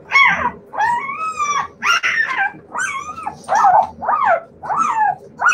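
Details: Siberian Husky puppies in a loud run of wavering, arched whine-howls, about seven drawn-out calls in under six seconds, each rising then bending down, over a faint low background hum.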